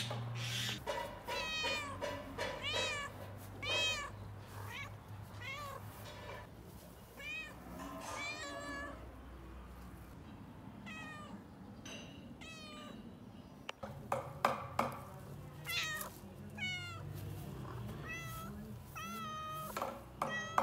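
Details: Cat vocalizing continuously, with many overlapping meows and short chirps, some rising and falling, others clipped and rapid, over low background hum with brief louder bursts.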